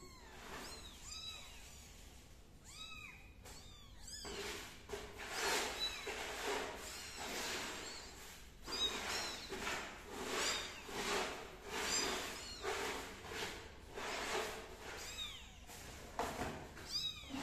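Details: Kittens belonging to MiMi crawling on the floor, after Min the cat has left: repeated high, thin arched meows in bursts about every second or two, with soft rustling and shuffling throughout.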